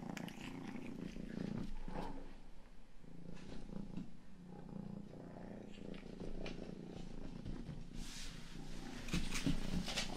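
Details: Pet cat Rang-i, the youngest cat at home, purrs into a 3Dio binaural microphone while grooming it; a soft, continuous low purr dominates, with sparse tongue clicks and a brief burst of licking near the end.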